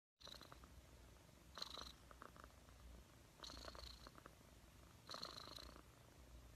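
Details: Domestic cat purring close up, a steady low rumble with brighter breathy bursts every one to two seconds as the cat breathes in and out.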